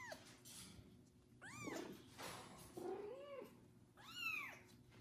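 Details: Loudly meowing kitten just bathed for the first time, being looked after by a foster mother cat; three arched meows, the last the strongest, with a lower, muffled sound in between.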